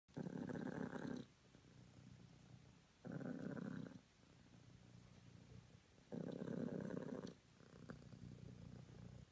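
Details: A cream British Longhair cat named Honey purrs in the morning, loud rumbling bursts about a second long alternating with softer low purring on the in-breath, roughly every three seconds.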